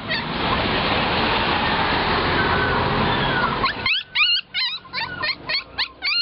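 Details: Puppies at a roadside dog shop in Nakhon Pathom, Thailand, waiting to be bought: after a wash of broad traffic noise, a quick series of high, arched yelps and whimpers, several per second, in the final two seconds.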